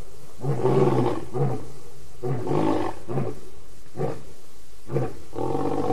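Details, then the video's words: Lion vocalising in the evening at the Djuma Waterhole, August 2016: a run of deep, harmonic roaring bursts, several medium-length calls spaced roughly a second apart, ending in shorter grunting roars. "Audio Show at The Djuma Waterhole"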